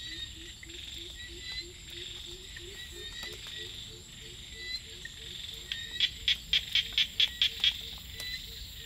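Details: Small frogs calling at night in the rice fields: a low, rapid string of short croaking notes for about five seconds, then a burst of eight sharp high clicks repeated quickly, over a steady shrill insect chorus.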